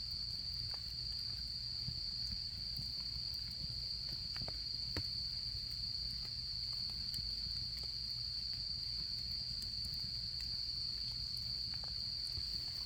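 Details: Autumn insects singing beside a crackling campfire during camping season: a steady, unbroken high-pitched trill holds throughout, with sharp pops and snaps from the burning wood scattered over a low rumble.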